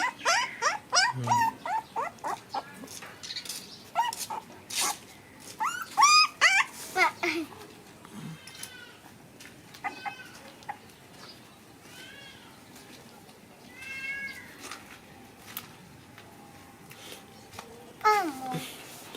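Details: Several puppies playing together produce scattered short yelps, squeaks and whimpers, busiest in the first half and near the end, separated by quieter stretches with soft rustling and low background noise.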